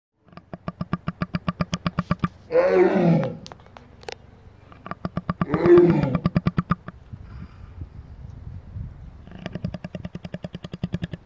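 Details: Sleeping lion snoring, a rapid rattling pulse of about four beats per second broken by two deep drawn-out groaning breaths, then the pulsing resumes.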